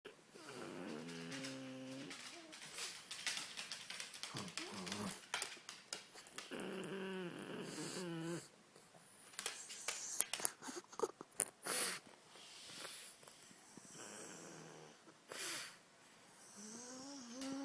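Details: A pug snoring indoors, its breaths making wheezy, wavering nasal tones in drawn-out bursts of one to two seconds, recurring every few seconds, with soft rustles and clicks between them.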